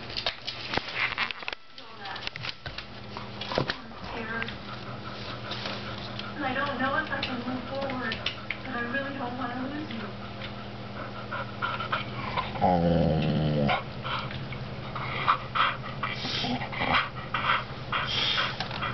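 A Bull Terrier makes drawn-out, warbling grumbles and moans that bend up and down in pitch, almost like speech. A person's voice is heard talking alongside the dog indoors.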